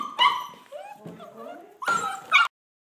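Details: Border Collie puppies whining and yipping: high, wavering whimpers and short yelps in two clusters, with a person's voice calling to them in between.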